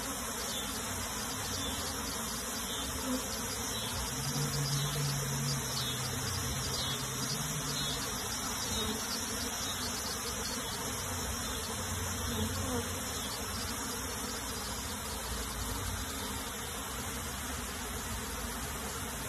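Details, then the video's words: Honey bee colony being moved into a box, a dense, steady swarm buzz filling the whole stretch, thick low drone with a broad hissy upper layer, faint irregular pulsing and occasional small knocks. "PEMINDAHAN LEBAH MADU KEDALAM KOTAK"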